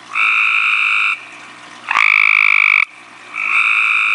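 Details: Tree frog out at night, calling right up close: three loud, harsh, buzzy calls of about a second each. Each is a rapid pulsed trill with ringing overtones, and the middle one swoops upward at its start. Faint hiss sits between calls.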